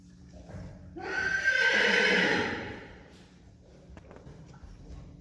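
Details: Friesian horse, a gelding born 2016, neighing in a herd with two young mares looking on: one loud harmonic whinny rising then falling over about two seconds, followed by faint hoof clops and a man speaking Dutch.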